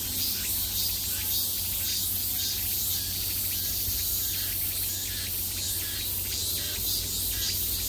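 A summer chorus of cicadas makes a continuous, shrill buzz, with pulsing waves rising and falling through it. A faint low hum runs underneath.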